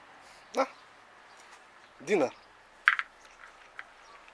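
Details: Cat named Chocka around dinner time: a short call, then a louder meow with rich harmonics that arches up and down, followed by a brief higher chirp-like sound; a person speaks nearby.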